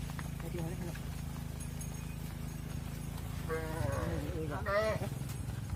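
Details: Cattle on a farm, mother cows going into a barn as their calves remain outside; two wavering, tonal bawls come late in the clip over a constant low engine-like drone.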